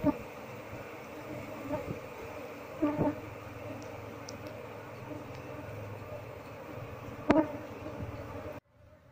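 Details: Honey bees swarming from a nest stuck beneath a window frame beam as the nest is removed to find the queen; a continuous layered hum with sharp knocks from the work, ending abruptly.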